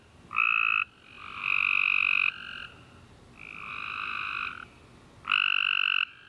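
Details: Tree frogs chorusing at night after a warm rainy summer day: loud, buzzy, steady-pitched trills about half a second to a second long, several callers alternating and overlapping with short quiet gaps between bursts.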